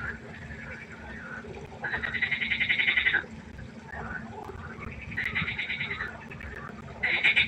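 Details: Frog concert at night by a pond: bursts of rapid, rattling pulsed croaks, each lasting about a second, rise out of a steady background chorus of overlapping callers, with softer calls in between.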